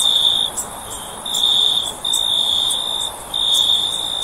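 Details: Cricket calling in a sleep recording: shrill, even trills lasting about a second each, broken by brief pauses, plus faint high ticks and a soft background hiss.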